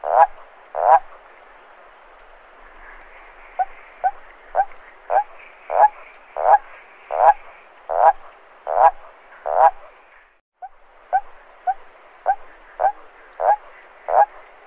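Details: A toad at night gives short, harsh croaks in a steady series, slightly faster than one per second; such calls attract females or defend territory. Finding: Toad.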